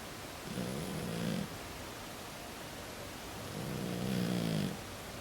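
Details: Pukutan, an Exotic Shorthair, a flat-faced breed whose nose snorts, snoring while asleep as it always does: two long, low, rasping breaths in quick succession, each rising and fading, with a quiet room between them.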